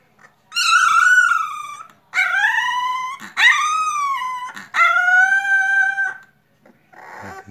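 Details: Singleton male pup, four weeks old, complaining indoors. Four drawn-out, high, nasal whines of about a second each, some rising then falling, separated by short pauses, with a faint softer whimper at the end.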